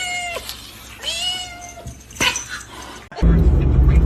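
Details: Kitten meowing: three drawn-out mews, each sliding downward at the end, spaced about a second apart, followed by a sudden burst of loud noise.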